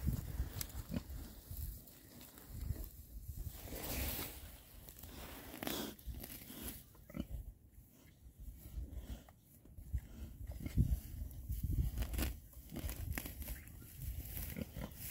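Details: Six male rare-breed Oxford Sandy and Black pigs foraging outdoors in winter between storms; low, deep grunts come in bursts throughout, mixed with snuffling, rooting and crunching noises as they feed.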